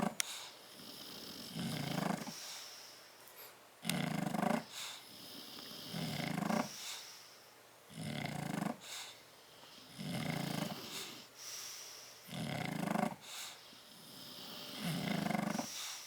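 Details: Tyson and Tyra, bulldogs asleep in a crate on 30 October 2012, snoring steadily: rough, low, rattling inhalations repeating roughly every two seconds across the stretch, with softer wheezy exhales between and a faint indoor background.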